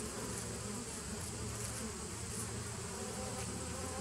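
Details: Bees recorded on 27 September 2018, a dense, unbroken humming drone with low steady tones underneath and a faint hiss above, holding an even level throughout.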